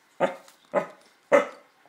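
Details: A male corgi gives three short, harsh growling woofs, each starting abruptly and trailing off quickly, growling at luggage he dislikes, unusually much for him.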